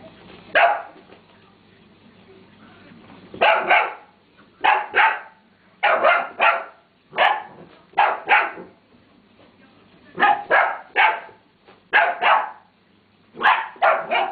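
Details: Cali, a pet Dalmatian puppy about 8 to 9 weeks old, chasing a toy ferret around the floor indoors, gives high, sharp puppy barks in quick pairs and triplets, about a dozen across the stretch, with short pauses.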